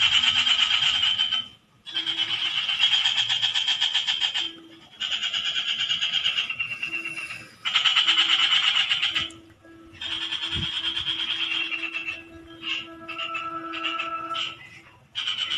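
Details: A frog repeats rattling pulsed trills in bursts of one to two seconds separated by brief gaps, a thin steady tone and a single sharp click in the background.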